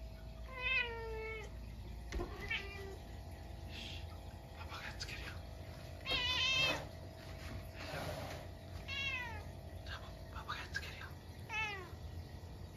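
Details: A Munchkin cat gives a string of clear, drawn-out, downward-sliding meows a few seconds apart at midnight on a snowy day, reacting to a stink bug that got indoors.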